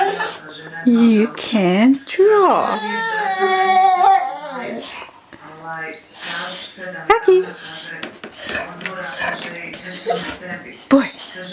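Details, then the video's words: A two-year-old boxer named Rocky, kept as a pet, moans and yodels indoors, desperate to draw. He gives wavering, rising-and-falling whines, then holds one long, steady howl-like note. A person talks over and after him. "Boxer dog desperately wants to draw"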